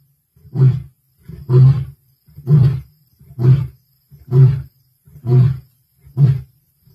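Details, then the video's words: Male lion roaring, recorded 1 February 2024: a series of seven deep, grunting roar bursts, each about half a second long, repeated roughly once per second at a steady rhythm, with no other sounds. "Lion Roaring"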